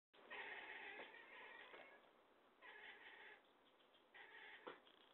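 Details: A talkative pet cat giving three drawn-out meows, each about a second long with stacked harmonics, separated by short pauses in a quiet indoor setting.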